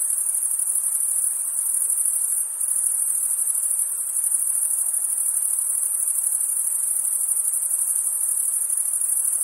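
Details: Continuous high ringing chirps of many crickets on a summer night, steady throughout with a brief dip in volume partway, over faint low hiss.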